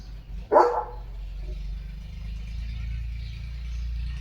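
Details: A single sharp bark from Leo the German Shepherd, a pet dog wearing new glasses among flowers, followed by steady low background hum.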